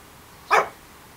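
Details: Josh, a Shih Tzu with an unusual bark, gives a single short sharp bark indoors while waiting for a door to be opened rather than using the doggy door; quiet room background.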